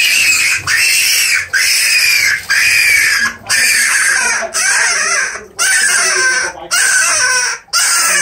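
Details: Rabbit being live-fed to a Burmese python, caught while resting, filmed 2022-08-13. Loud, harsh, shrill screams with strong high overtones, repeated about once a second. Each scream lasts under a second, with brief silent gaps between them.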